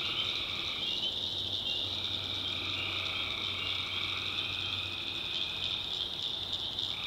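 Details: Swamp at night in the backwoods of North Carolina with tree frogs: a dense, continuous high-pitched chorus and softer, drawn-out trills blending beneath it, with a faint low drone.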